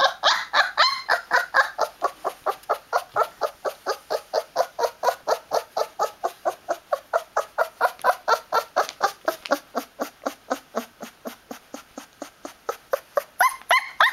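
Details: Newfoundland puppy, 20 days old, keeps up a long, even string of rapid squeaky yelps, loud at the start, fading somewhat in the middle, then rising again near the end, with brief whining notes mixed in.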